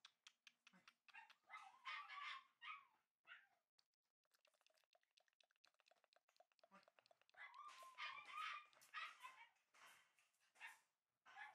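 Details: Shiba Inu puppies, one red male and one white male from a show-dog breeder, letting out bursts of high-pitched yips and squeaky barks, a quieter scratchy stretch in the middle, then more yapping.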